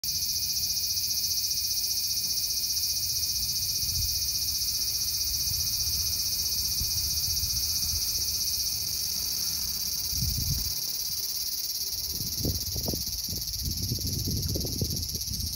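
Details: Cicada, called semi in Japan, resting well camouflaged on tree bark in a small park amid a deafening chorus. It gives a continuous, loud, high-pitched electric buzz that holds steady throughout, with low rumbling handling and footstep noise in the second half.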